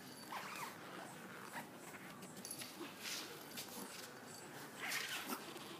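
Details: Five-week-old Pomeranian puppies playing with an adult female dog that is not their mother; faint high yips and whimpers near the start and again near the end, over steady scuffling and rustling.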